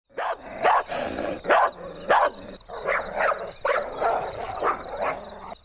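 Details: Puppies and their mother dog in an outdoor toy battle, playing tug-of-war: a run of about nine yappy, open barks and yips in quick succession, some doubled, with a faint steady high tone behind them.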